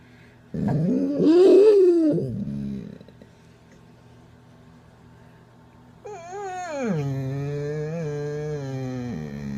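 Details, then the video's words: A dog that rarely barks makes odd, strained yodel-like exclamations, first a rising and falling moan, then a drawn-out falling howl, with someone giggling. "weird dog sounds"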